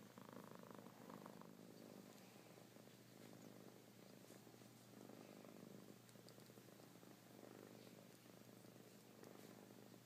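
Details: Kittens purring steadily, a dense low vibrating rumble with a gentle rise and fall and a constant faint hum behind it.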